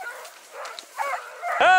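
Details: A hunting Dachshund on a driven fox hunt in Victoria, 23 October 2022, giving a single loud, sharp, rising yelp at the end after quiet faint yelping, with a man's voice in the rural background.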